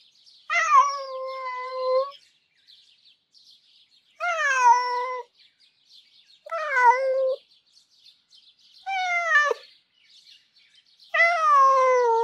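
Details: Domestic cat named Marty, with a longing, sad-sounding voice, recorded for a cat vocal library, gives five plaintive meows that start high and slide downward, some cut short, spaced irregularly two to three seconds apart against a quiet background.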